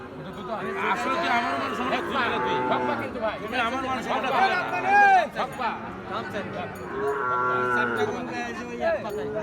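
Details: Cattle at the crowded Ambari haat livestock market, held on Fridays and Mondays, where Gir and Sahiwal bull calves are traded. Several drawn-out, wavering moos overlap one another amid steady crowd chatter, with background music running throughout.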